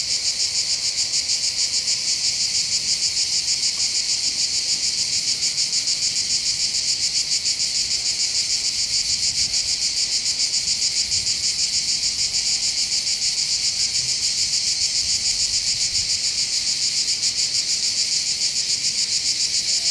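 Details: Chorus of cicadas over Bandol harbour on the Mediterranean coast of the Var, southern France, heard from the hills: continuous loud shrill buzzing with a fast, even throb, unbroken for twenty seconds.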